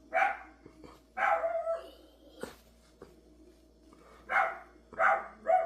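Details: Dog barking indoors in a small room, five loud sharp barks in two pairs and a single, with a steady low hum behind and a faint thump between them.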